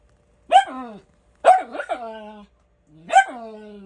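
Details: Miniature Schnauzer at home, barking for no apparent reason: three separate barks, the middle one a quick double, each ending in a long, falling whine-like tail.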